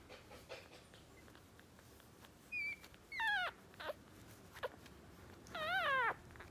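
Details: Two-day-old West Highland White Terrier puppies, a male and a female newborn litter, give a few sparse high squeaky whimpers, some sliding downward, others wavering, separated by quiet pauses over a faint background hiss.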